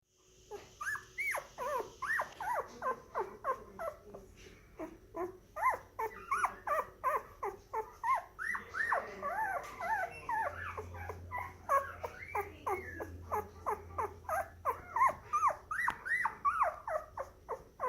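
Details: Black and white parti moyen poodle puppy born January 2019, giving rapid high whimpers and whines, many short falling and rising cries tumbling together almost three per second, a busy, insistent stream indoors.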